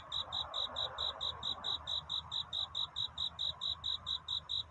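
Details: A cricket sings a night courtship song, searching for love. Even, high-pitched pulses repeat quickly, roughly four per second, over faint background hum.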